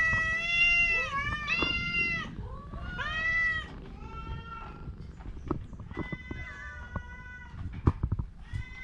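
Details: A sick orange cat with a cough and cold utters loud, clear, rising-then-falling meows in close succession over the first few seconds, then softer, flatter calls. Faint clicks and rustles sound in the background.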